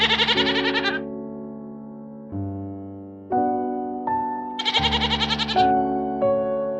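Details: Goat bleating, two tremulous, pulsed bleats of about a second each, one at the start and one near the middle, over steady background piano music.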